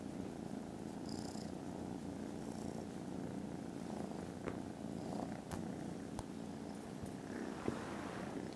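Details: Very loud purring from contented foster kittens dozing after lunch, recorded Friday 18th December. The rumble runs continuously, with a few soft clicks and taps over it.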